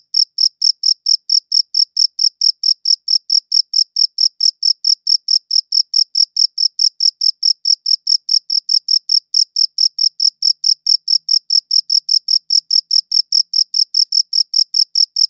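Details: Chirping cricket captured on a quality recorder, pulsing in a fast, unbroken series of bright, high chirps, roughly four or five every second, with a faint higher overtone and no other sounds.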